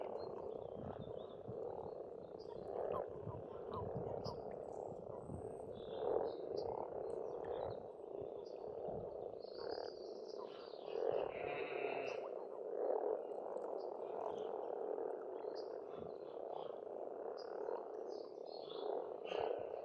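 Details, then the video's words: Pond frogs in spring in Estonia, croaking in a thick chorus with louder individual bursts every few seconds; sparse bird notes sound faintly higher up. "Расслабляющее пение птиц и лягушек"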